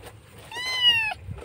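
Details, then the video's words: Kitten wailing for its mother after rescue in Indonesia; a single loud, high, sustained meow, gently rising then sliding down at the end, over faint low background murmur. "anak kucing menangis keras rindu ibunya"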